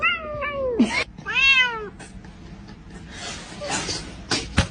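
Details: Kitten giving two quick meows: a short falling one, then a longer arched meow, followed by rustling and handling noises.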